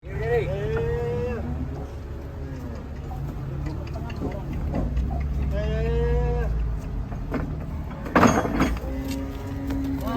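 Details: Agitated, raging cattle lowing in long harmonic moos that bend upward then fall, two main calls a few seconds apart, over a constant low engine rumble and men talking nearby, with a sharp knock near the end.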